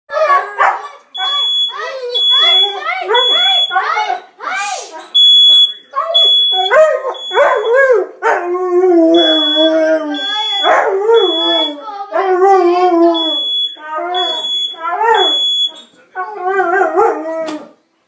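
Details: A male Siberian Husky, who dislikes the fire alarm and reacts the same way every time, howls and yodels in wavering, talkative bursts over its steady beeping.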